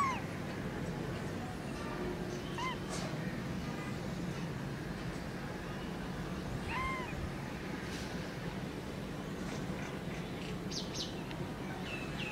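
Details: Newborn kitten giving several faint, brief meows scattered through a steady low rumbling background, with a few soft clicks between them.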